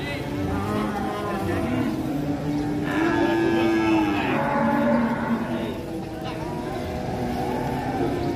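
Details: A rampaging cattle calf lowing: a drawn-out moo with a stacked, slightly bending tone near the middle, over steady background music and some human voices.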